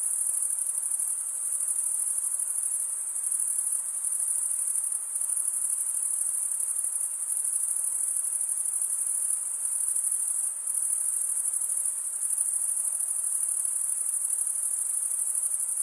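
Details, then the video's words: Crickets stridulating in an unbroken high-pitched trill, a fine rapid pulsing that holds steady, with a few momentary drops in volume around the middle; otherwise no other noise. "Most relaxing cricket sound"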